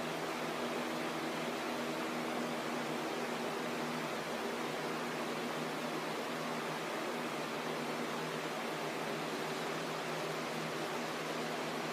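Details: Steady broadband hiss, like a fan or air conditioner, with faint low hum and no animal voice.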